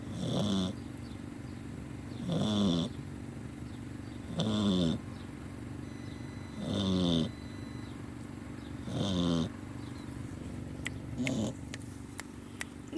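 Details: A sleeping dog snoring, with six rhythmic, rasping breaths about every two seconds, each a low, throaty rattle with a brief higher hiss, and quiet pauses between; faint clicks near the end.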